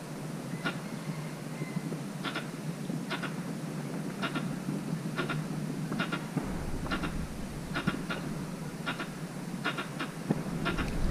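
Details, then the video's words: Calling for a mate in a mango orchard, a squirrel gives crisp paired clicks at roughly one-second intervals, a steady ticking rhythm over a hissy, rumbling outdoor background. ""เสียงกระรอก" ตัวจริงเสียงจริง ส่งเสียงร้องหาคู่ ในสวนมะม่วง"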